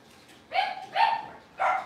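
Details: Puppies from a litter heard during a livestream kept running through a power outage; three short, high yipping calls with bright harmonics, two close together then a third after a pause, over quiet room noise.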